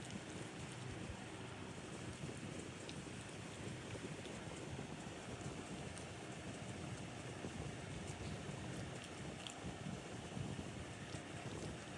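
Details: Continuous wind buffeting the microphone, a rushing roar like surf, and no animal voice.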